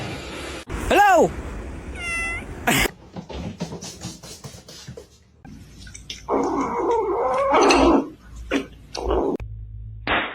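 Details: Domestic cat giving a short rising-and-falling meow, then a brief higher harmonic cry, followed by screaming, human voices and clattering household noise.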